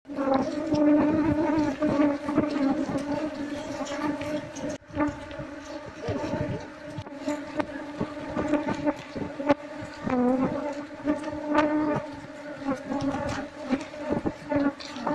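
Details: Disturbed Asian honey bee swarm buzzing as its old comb is cut out of a traditional house in Seluma for transfer to a hive box. A dense, steady drone lasts the whole stretch, with scattered rustles and taps.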